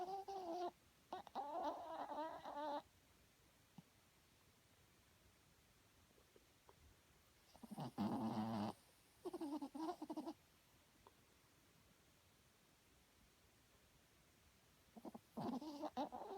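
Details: Loud snoring from a small dog asleep at night: four grating, buzzy breaths of about one to three seconds, spaced by long silent gaps in a quiet room.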